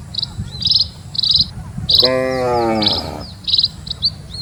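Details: Cattle from a herd of dozens walking slowly along a quiet rural road. One drawn-out, rich moo about a second long that bends downward at its end. High, short bird chirps repeat steadily throughout, over a low rumble of wind.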